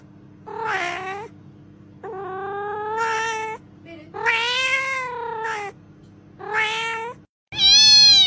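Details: Domestic cat meowing, which usually means it wants something specific: five harmonic-rich meows of varying length over a steady low hum, some rising then falling, ending with a louder, higher, brighter meow after a brief gap.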